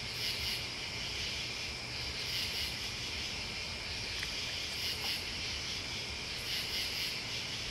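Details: Crickets and bugs keep up a continuous shrill drone outdoors, punctuated every two seconds or so by short, very high, hissing pulses, with a soft low hum beneath.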